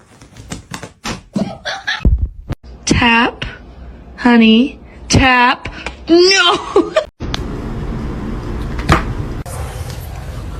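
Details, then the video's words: Domestic cat in a funny-cat compilation giving a run of about four drawn-out meows, each dipping then rising in pitch, spaced roughly a second apart, with people talking and clattering before and background music after. "kitten meowing"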